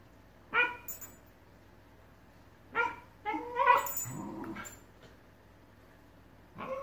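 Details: Two Shiba Inus trade sharp, whiny yips and yelps in short bursts while arguing over who gets a ball, appearing to want tug of war.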